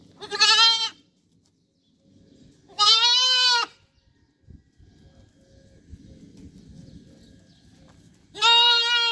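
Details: Goats on a desert goat farm in Qatar, three loud, wavering, nasal bleats spaced a few seconds apart, with quiet rustling and low farm noise between them.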